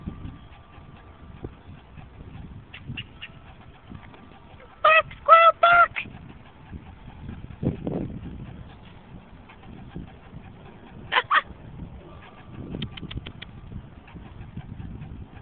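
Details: A squirrel barking as a threat while shaking its tail. Short bursts of three or four sharp, nasal, harmonic chuck notes come in quick succession, then a long pause, then another brief burst over faint background hiss.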